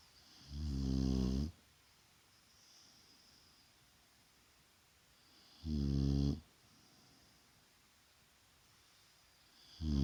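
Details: Shar Pei named Vaya snoring during a daytime rest indoors: deep rumbling harmonic snores about one second long, spaced roughly five seconds apart, with quiet breathing between.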